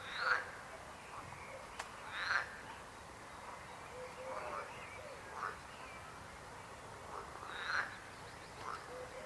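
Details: Frogs croaking: short harmonic croaks every few seconds, some louder and closer, over a steady low background hiss.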